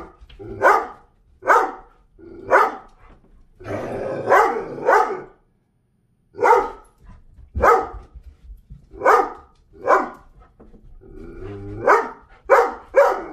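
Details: Doberman barking bossily, demanding to go in or out or to get food or water: loud, sharp barks in quick pairs and triplets, about fourteen over thirteen seconds, with one short pause midway.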